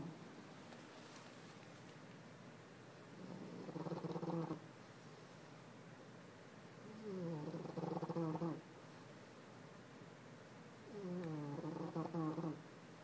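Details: French Bulldog snoring loudly, likened to a baby raptor: three drawn-out, rasping, harmonic snores of about one and a half seconds each, roughly every four seconds, with a faint wavering rise inside each breath and near silence between.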